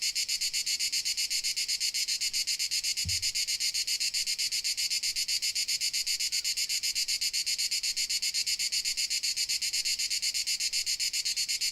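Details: High, buzzy cricket pulsing from Dalmatia, fast and regular throughout, with one short low thump near three seconds against the otherwise constant insect chorus.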